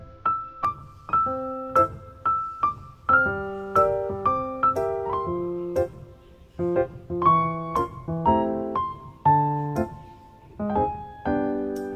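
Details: Piano music with repeated keyboard chords and single notes; no animal sounds.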